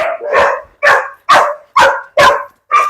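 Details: Dog barking during a leashed walk where a German Shepherd faces off with a native street dog in Kerala: six loud, sharp barks in quick succession, roughly every half second, with clean gaps between them.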